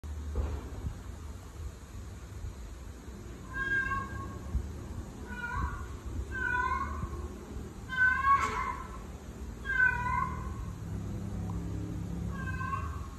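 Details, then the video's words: Domestic cat meows tied to a female in heat, with ginger cat brothers reacting; about six drawn-out, harmonic-rich meows rising then falling, spaced roughly every one to two seconds over a low room hum. "female cat in heat sounds"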